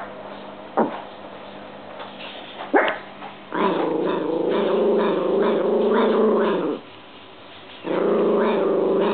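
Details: Domestic dog vocalizing at a washing machine on dry cycle: two brief sharp yips, then a loud rumbling growl held for about three seconds, silence, and another growl starting.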